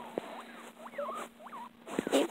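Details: Pet guinea pig calling with a few drawn-out rising and falling squeals, each swooping up then down, separated by short pauses, with soft tapping and rustling and a steady background hum.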